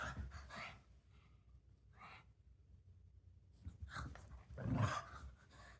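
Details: Gizmo, a pug, playing and making funny pug sounds: rough snorts and panting breaths in short bursts near the start, a pause, then louder grunting snuffles toward the end, indoors.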